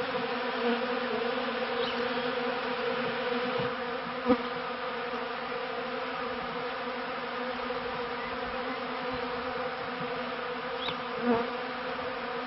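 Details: Honey bees in a managed apiary around the turn of the 1995–96 season, giving an even, layered buzz of many insects with a couple of brief close fly-bys rising above the hum.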